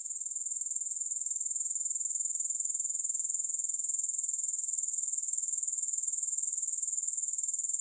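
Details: Uninterrupted high, thin grasshopper trill without music, a steady rhythmic pulsing at roughly four beats per second throughout.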